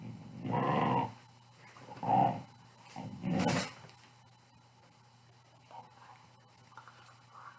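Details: Pit Bull dog growling in play, three short rough growls in quick succession over the first four seconds, then quiet room noise with faint rustles.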